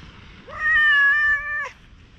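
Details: Affectionate stray cat, likened to a tanuki, at a campsite after rain in Japan, giving one drawn-out, level meow of about a second that ends with a brief upward flick.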